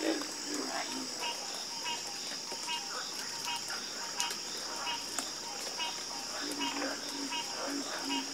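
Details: Frogs croaking as a chorus, short low croaks and brighter clipped notes repeating irregularly against a constant shrill insect drone, with no pauses in the calling.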